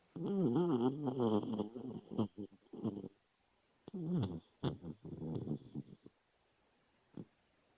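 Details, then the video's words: Dog snoring while it dreams with its eyes open: wavering, whiny tones and snuffly snorts fill the first three seconds, then irregular grunting bursts return between four and six seconds, ending with one short snort. "Dog snoring while dreaming with eyes open"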